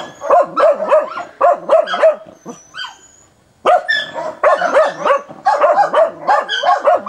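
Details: Dog baying hard and without letup at a wild boar on 29 December 2017: rapid volleys of rough, ringing barks, a short pause with faint high whines, then renewed fast barking.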